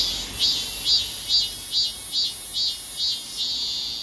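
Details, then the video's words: Robust cicada singing while moving, stepping backward mid-song: a loud, high, buzzing drone pulsing in strong swells about twice a second, each surge brightening then easing back, steady and unbroken throughout. "참매미의 노래중 뒷거름질 ?"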